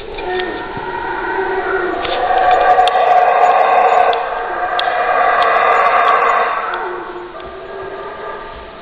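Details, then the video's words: Howler monkeys in a sustained roaring chorus that builds to a loud, rasping, harmonic peak midway, with overlapping growls rising and falling before tapering off. "Howler Monkey Scary Sounds"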